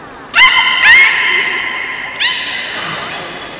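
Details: Beluga at the Port of Nagoya Public Aquarium during a public training session, 13:30 session, 18 July 2016: two loud, harmonic whistled squeals rising sharply at onset, then a long steady tone, indoors with faint hall echo.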